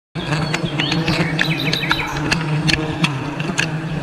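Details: A low, steady drone of many wild honey bees buzzing together during wild honey harvesting in a forest, with bird chirps above.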